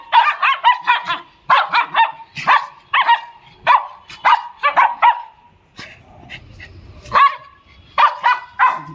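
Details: Playful pet dog at playtime giving bursts of sharp high barks in quick runs of three or four, brief pauses between volleys, a short stretch of rustling noise midway.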